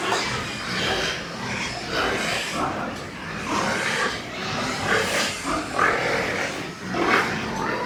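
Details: At a Nepalese pig farm, white pigs produce overlapping rasping squeals and snorts in irregular bursts over a steady, noisy background.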